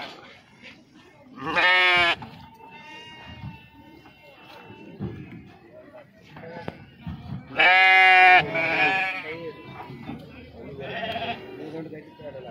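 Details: Sheep unloaded at Pebbair sheep market, jumping from the vehicle; two strong, quavering bleats about six seconds apart, then a softer one, over a busy market background with a few voices.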